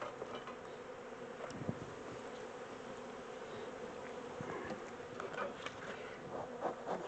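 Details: Honey bee swarm, the second one caught, being moved from a small temporary box into a larger hive; steady low droning hum of many bees throughout, with scattered faint clicks and knocks of handling.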